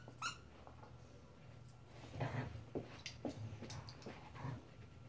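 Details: Fourteen-week-old puppy Marvel at play inside: a soft low rumbling growl carrying under short grunting bursts, one brief high squeak at the start, quiet room noise around it.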